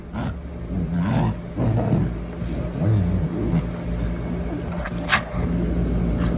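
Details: Two Shiba Inus give low, rumbling growls and grumbles in uneven bursts.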